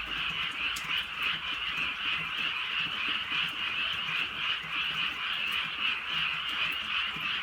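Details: Frogs calling at night in the countryside during a light drizzle; a dense, unbroken chorus of rapid, overlapping croaks forms a steady trilling wall of sound, with faint scattered taps that may be raindrops.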